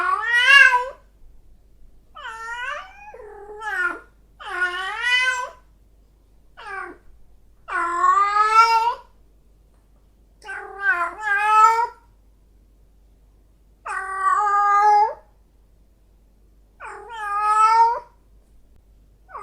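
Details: Female domestic cat in heat, calling in a string of loud, drawn-out meows with rich harmonics, each rising then falling, roughly every two to three seconds, separated by clean silence.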